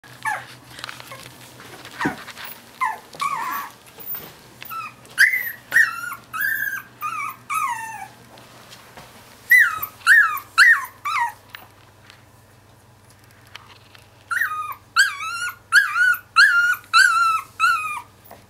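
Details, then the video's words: Two-week-old Finnish Lapphund puppies complaining: a run of high, wavering whimpers and squeals, each rising then falling, coming in quick irregular bursts with short pauses between, over a steady low indoor hum. "Complaining Sneezing 2 wks"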